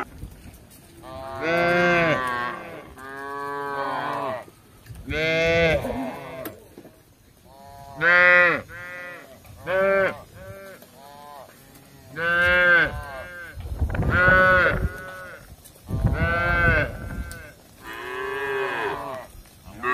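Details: Tame village cattle wandering in search of grass: repeated harmonic moos, about fourteen per minute at irregular spacing, some deep and drawn out, others short and clipped, with quiet pauses between.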